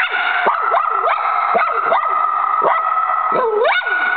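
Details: Choco the dog barks at a squirrel outside, a fast run of sharp rising yelps about every half second, each with a sustained whining tone carrying between the barks.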